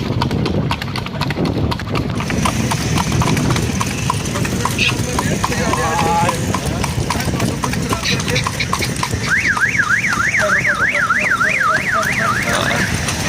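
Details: Horse pulling a cart on a night-time ride; steady clip-clop of hooves on a hard road, with a warbling siren or alarm sweeping up and down in the second half and general traffic noise.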